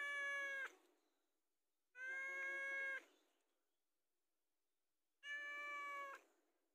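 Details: Domestic cat begging for food: three drawn-out, evenly pitched meows separated by pauses of one to two seconds, with a quiet background.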